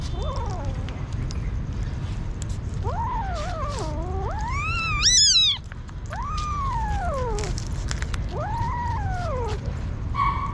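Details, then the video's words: Hungry street kitten crying for food, a run of long arching meows, each rising then sliding down, with one shrill piercing cry at the peak, coming every one to two seconds over low rumbling noise and faint clicks. "Aww Crazy Hungry kitten"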